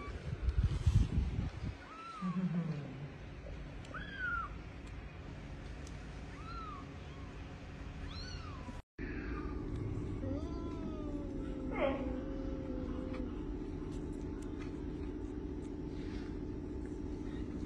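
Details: Rescued kittens that lost their mother, now living in a house, give repeated high, arched meows every second or two. A woman's voice is heard at the start, with low household rumble throughout.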